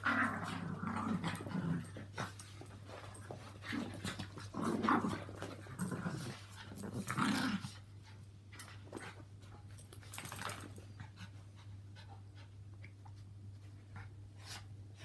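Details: Two Yorkshire Terriers, Walt (three) and Milly (four), and Harvey, a two-year-old Maltese, share a home and have a mad half hour of play. Rough, low growls come in bursts for seven seconds, then quieter scuffling and clicks over a steady low hum.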